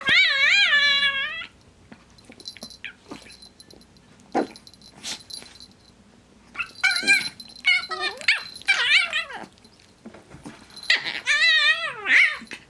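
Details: Two dogs at play, one giving a constant silly high-pitched noise: a wavering, whistle-like whine in a burst at the start, then quieter rustling, and later a run of squeaky, rising and falling yips and whines.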